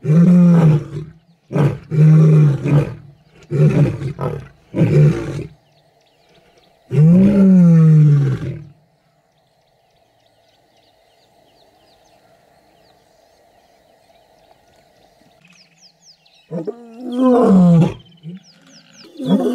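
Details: Kambula pride lions and Ndhzenga males roaring at MalaMala Game Reserve in Africa, where mating and cubs were seen. Five short grunts and a long roar are followed by a quiet stretch with engine hum, then more roars with faint bird chirps.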